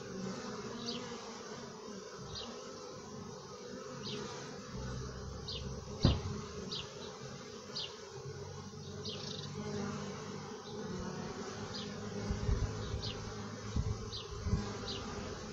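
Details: Honey bees inside the hive make a steady low droning hum with layered tones. Short high chirps repeat about every second and a half above it, with a few sharp knocks.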